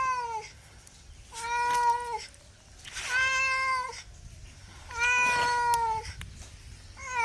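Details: Domestic cat meowing repeatedly, about five long, loud, sustained meows at roughly one-second gaps, some rising slightly at the start and dropping at the end, in a quiet indoor setting.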